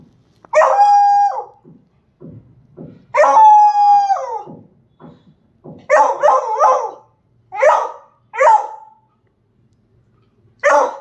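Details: Beagle howling, a form of dog vocal communication used to attract attention, make contact and announce presence; long harmonic howls with steady held tones, then shorter wavering howl-barks in a rhythmic series, with a few soft yips between.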